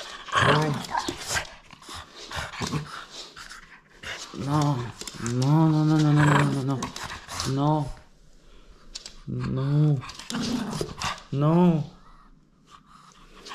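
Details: French Bulldog playing and refusing to give up a toy: drawn-out whining and grumbling vocalizations in bursts, with a person talking in between inside a small room.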